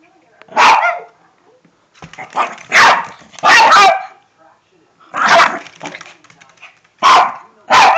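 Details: Shih Tzu dog barking while someone deliberately provokes it indoors: about six loud, sharp, broadband barks in short bursts, some doubled, spaced one to two seconds apart, with a person's voice between them.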